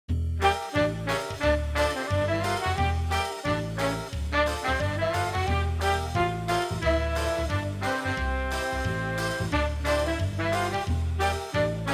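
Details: Upbeat swing music with brass and a steady beat plays throughout, and no animal voice heard.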